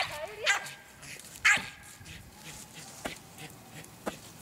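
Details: An American Eskimo Dog opens with a brief whine that slides down in pitch, then two sharp barks, followed by a few quieter, clipped yips spaced about a second apart.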